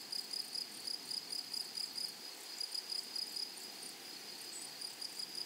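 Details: Grasshoppers in a flowery meadow give bright, high chirps repeated several times a second in short even bursts, the pulses easing slightly toward the end.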